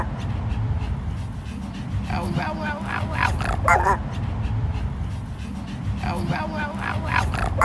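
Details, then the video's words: Male chihuahua with black fur and a grey face, barking, or 'borking', in a hoarse, gentle voice: two clusters of rough, moaning bark-howls, the first about two seconds long, over a steady low rumble. "The way this chihuahua borks"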